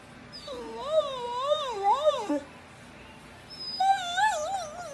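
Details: Dog howling in two long wavering tones with a pitch that swings up and down, a pause, then a second rising, wobbling howl; faint background hiss.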